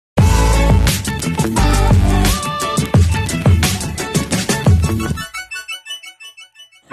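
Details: Loud electronic pop music with heavy beats fades into echoing synth notes, with no animal sounds.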